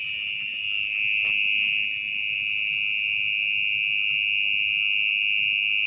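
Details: Mole cricket (orong-orong) calling at night from its burrow in wet, muddy ground as someone digs out the nest; a steady, unbroken high-pitched trill holds throughout, with faint low rustling beneath.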